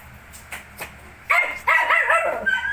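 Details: Shih Tzu with its 19-day-old puppies: a few soft taps, then a loud, harmonic bark-yelp that rises and falls in repeated arcs, ending in a thin high whine.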